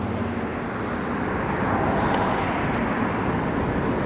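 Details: Steady road traffic roars outdoors on an urban walk, with passing cars and a light breeze, and no animal voice to be heard.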